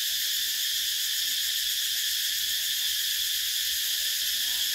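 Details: Short stretch of summer cicada song from Vietnam: an intense, constant high buzzing drone with no pauses, steady loudness, and only faint low noise beneath.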